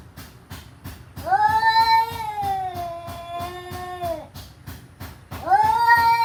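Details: Kitten giving a long drawn-out meow that rises then slowly falls over about three seconds, followed by a second rising meow, over a regular ticking beat in the background.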